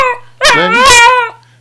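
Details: Pet dog singing on command: a loud, tonal, harmonic-rich howl about one second long with a wavering pitch, rising slightly and then falling away, while a person coaxes with repeated "sing".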